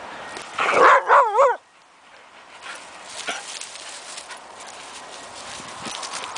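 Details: Whippets Cc and Khaki playing: a loud, wavering, whiny vocalisation with quick pitch wobbles lasts about a second near the start, then gives way to quiet rustling and soft movement noises.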